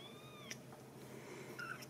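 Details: Young Ragdoll kittens with their mother, born and nurtured indoors at a cattery in central Kansas. A thin, high mew holds steady and then drops off after half a second. A brief second squeak comes near the end in a quiet room.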